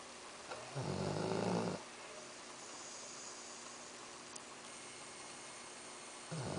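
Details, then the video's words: Axel, a sleeping Labrador Retriever, gives one rough snore of about a second, followed by a long quiet indoor pause and the start of another breath at the end. "Labrador Roncando - Axel"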